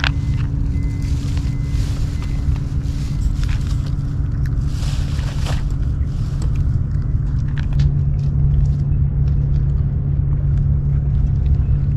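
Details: A loud, continuous low engine rumble fills the recording, with scattered light clicks and taps and no animal calls.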